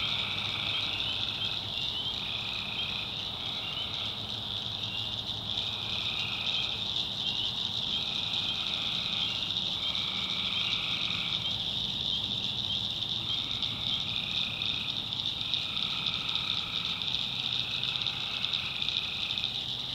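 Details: Nighttime swamp in the backwoods of North Carolina, tree frogs massed in a steady piercing chorus, overlaid by repeated lower call bouts lasting a second or two each, coming again and again, plus a faint low hum.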